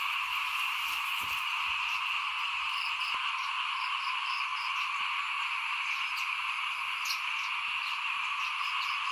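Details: A frog chorus outside a house during rice sowing, 2021: constant massed calling, a steady bright buzz with no gaps, with a few faint ticks and knocks over the top.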